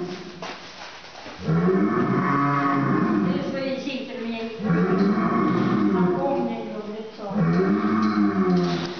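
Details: Breeding bulls that have smelled blood bellow in long, moaning, rising-and-falling calls, three drawn-out bellows one after another.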